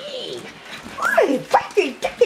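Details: Dark red miniature poodle puppies, eight weeks old, with their mother Jillaroo, playfully flirting indoors: short whiny yelps that glide downward in quick succession, overlapping a person's talking voice in a small room.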